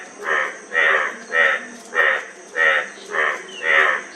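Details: A frog making loud, rattling croaks evenly spaced about every half second, each a brief buzzy burst, against a steady faint high-pitched tone.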